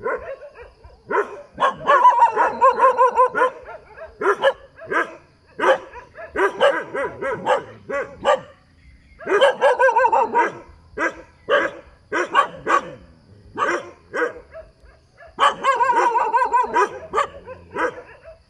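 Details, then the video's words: Dog by the roadside barking repeatedly in clustered volleys, loud harmonic barks separated by short pauses, with dense runs of several barks at a time throughout. "เสียงหมาเห่า อยู่ข้างถนน"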